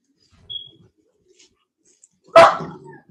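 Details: A single deep, explosive bark from a Cane Corso (Italian Mastiff) at a Tennessee breeding kennel, preceded by a faint short sound and near silence, with a brief rumbling tail after the bark.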